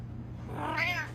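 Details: Fat house cat gives one brief bright meow that rises and falls, over a constant low electrical hum in a small room.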